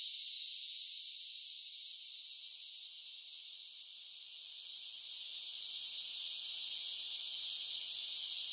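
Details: Summer cicadas whose shrill continuous buzz starts softer, holds low for a few seconds, then swells steadily louder through the second half.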